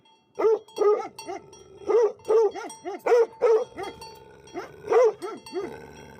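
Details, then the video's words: Livestock guardian dogs barking in quick, irregular bursts of loud, rough, mid-pitched barks, several overlapping, about forty a minute, with a faint steady ringing tone in the background. "Livestock Guardian Dogs Barkng Sound"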